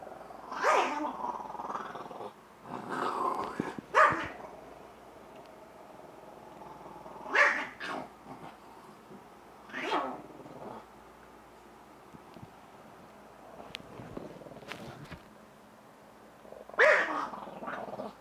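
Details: A Shih Tzu indoors, worked up while a young man plays with it, lets out bursts of snarling growls and rough barks every few seconds, separated by quieter stretches of faint rustling.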